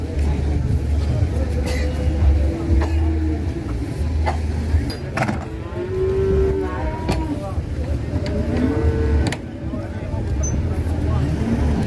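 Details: Cattle raging during loading onto a truck give long, level lowing moos around the middle and near the end, set against a constant vehicle drone and sharp banging noises.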